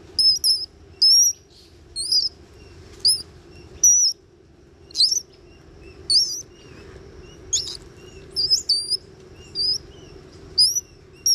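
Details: Playful young Bolivian squirrel monkeys aged one to two at Ishigaki Yaima Village on Ishigaki Island, Japan; clear high whistled chirps and thin squeaks in spaced bursts, a few seconds of near quiet between, faint steady hum underneath.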